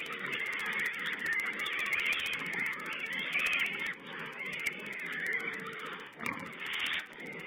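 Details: Little wild boar piglets filmed by a wild pig camera on 16 April 2010: a steady chorus of high, raspy squeals and grunting chatter, rising into a louder squeal near the end.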